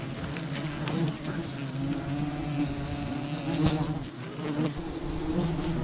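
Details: Humming of a wild bee colony disturbed during honey harvesting, a continuous low buzzing drone with rich overtones, broken by scattered clicks and brief rustling thumps.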